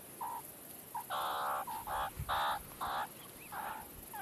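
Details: A meerkat on a rock gives a run of short, nasal, harmonic calls in quick, uneven bursts.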